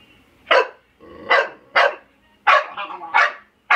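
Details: Eight-month-old female pit bull barking while horsing around at home with an African grey parrot that tries to kiss her; six sharp, loud barks come at uneven intervals of about half a second to a second.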